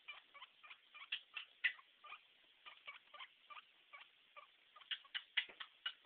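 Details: Pet guinea pig named Stinky giving a steady stream of soft, quick squeaky chirps, roughly three to four each second and swelling slightly in places, over a quiet background.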